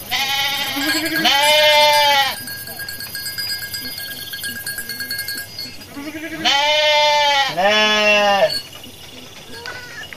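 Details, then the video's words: Garut sheep ewe giving birth while out foraging; loud quavering bleats in pairs near the start and again around six to eight seconds, with quieter murmuring and faint background noise between calls. "DOMBA GARUT LUCU MELAHIRKAN | KAMBING LUCU | SUARA DOMBA"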